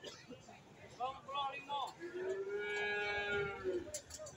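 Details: Cattle at the Friday cattle market in Sugihan village, Jatirogo, Tuban, East Java; a long, low, steady moo with rich harmonics follows short broken calls, over market chatter and background voices.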